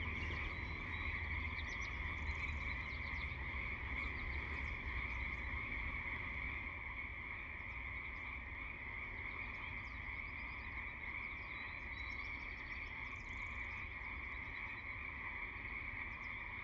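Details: A dense frog chorus, steady buzzing trills holding without pause, dotted with quick high chirps about three times a second, busiest in the first half and thinning toward the end.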